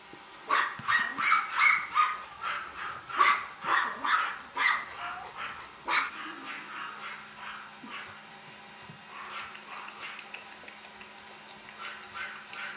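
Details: A male Golden Retriever puppy, raised in a home, gives a rapid series of high, sharp yips and barks, several per second, for about six seconds. These then fade into softer, quieter whimpering yelps.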